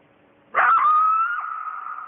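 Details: Lone coyote howling at night right by a house, calling to the rest of its pack: a single sustained, clear, steady-pitched howl that begins with a short rough onset and then holds a smooth tone to the end.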